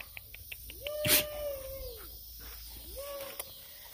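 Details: Bloodhound puppies whining: a long, steady, high nasal whine lasting over a second, broken by a sharp click, then a second shorter rising-and-falling whine, with faint ticking sounds before.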